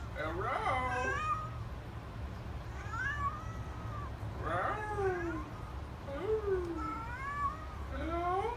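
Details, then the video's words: Chatty pet Siamese cat named Princess, said to be saying hello: about five drawn-out, bending meows, each rising then falling, spaced a second or two apart over a steady low indoor hum. "Princess sometimes says "hello""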